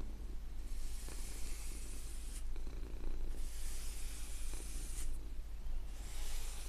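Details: Domestic cat giving a constant low rumbling purr while soft brushes sweep across artwork in long hissing strokes about every two seconds.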